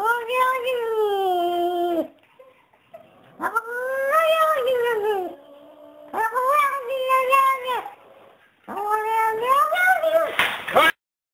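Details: Persian chinchilla cat Jacob psyching himself up to fight blue Persian Harvey: four long, drawn-out, descending yowls in a chant-like series with short pauses, ending in a burst of noisy rustling.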